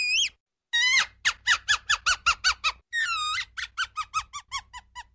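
A ground squirrel gives sharp, high whistled squeaks in quick repeated bursts.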